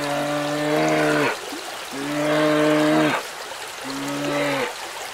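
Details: Giant panda giving three drawn-out, steady, harmonic bleating calls, each lasting about a second with short pauses between, over a faint hissing background.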